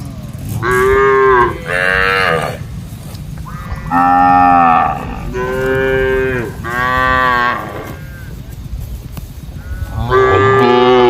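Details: Cattle mooing in a grassy field where goats, buffalo and monkeys roam together; six rich, level moos of roughly a second each follow one another with short pauses, the last after a quieter gap.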